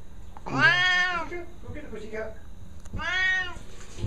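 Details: An agitated Siamese cat, described by its owner as losing it, gives two loud, drawn-out meows, each rising then falling, with a person speaking between them.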